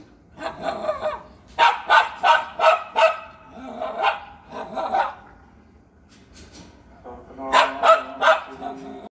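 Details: An Indian Spitz barks at a featherless peacock as a sparrow crosses. It gives three or four quick bouts of sharp barking, about a dozen mid-pitched yaps a few per second, with short pauses between.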